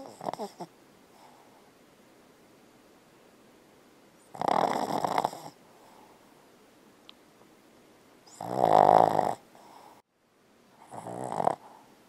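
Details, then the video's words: Bella the Boston Terrier snoring loudly in her sleep while dreaming; harsh rattling snores come roughly every four seconds, each lasting about a second, with soft breathing between them. "Boston Terrier Snoring & Dreaming"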